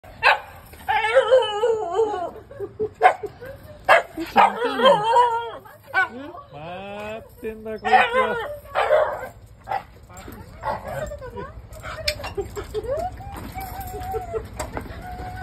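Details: Shiba Inu greeting its owner on arrival home with an excited stream of high, wavering whines and yelping howls. The cries rise and fall in short bursts, some drawn out and bending in pitch, with brief pauses between outbursts.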